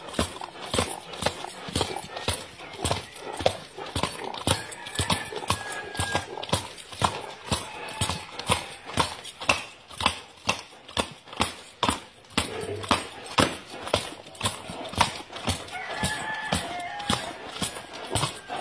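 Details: Arabian horse performing a horse dance, rapid rhythmic hoof clip-clop about twice a second, uneven in spacing, with faint neigh-like sounds and a little background voice.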